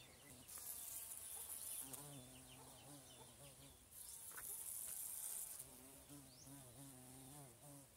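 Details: A bumblebee in Thailand drilling down into flowers gives a low, droning buzz that comes and goes in wavering bursts, with a high insect hiss between.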